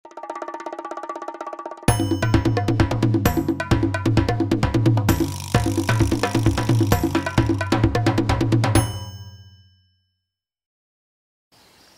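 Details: Percussive music with a steady drum and wood-block beat and a held tone at the start, then fading to near silence, with no animal sound.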